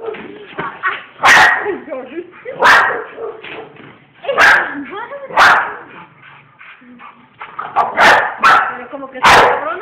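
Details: Household bull terriers bark in repeated loud bursts, about eight sharp barks at uneven intervals, mixed with a person's chatter and softer vocal sounds in between.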